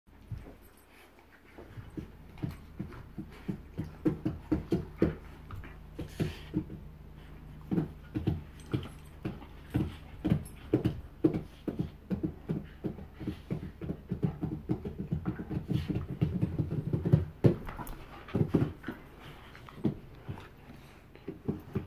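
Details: Bull terriers Joy and Miley, two dogs, making a fast run of short, low, huffing pulses, like panting or snorting, repeated steadily for about twenty seconds with a few louder bursts near the end.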